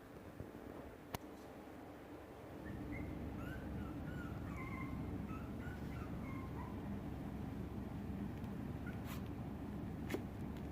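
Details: Shiba Inu puppies indoors give thin high whimpers, short wavering squeaks scattered through the middle of the recording over a steady low hum, with a couple of sharp clicks.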